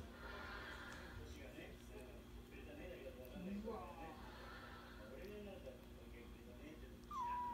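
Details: Kitten Ohana, relaxing at a kotatsu, licking then play-biting, gives a short, clear falling meow at the very end, with a softer tonal mew midway; a person talks quietly throughout over a low indoor hum.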